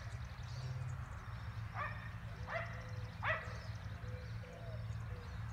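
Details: Three distant barks in fairly quick succession from neighbours' dogs roughly 400 feet off in Gem County, Emmett, Idaho, springtime, 19 March 2020, with a constant low droning hum underneath.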